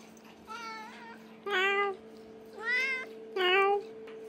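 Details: Indoor cat that has conquered its combined scratching post and ball toy box gives four clear, harmonic meows about a second apart, each slightly rising then falling, over a steady low electrical hum.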